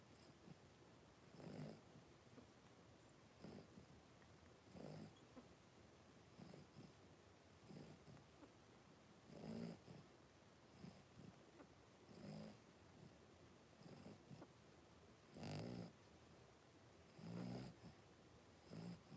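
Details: Litter of five blenheim Cavalier King Charles Spaniel pups, three weeks old, tussling indoors in a pen; low, breathy grunting bursts every couple of seconds, some with a brief growl-like buzz, over faint background hiss.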